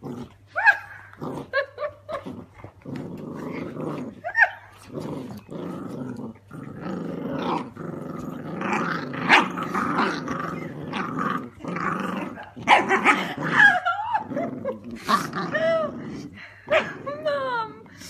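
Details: Dandie Dinmont terrier pups, eleven weeks old, squabbling over a sock: continuous rough growling mixed with sharp yips and high, bending squeals that grow busier toward the end, over a constant low hum.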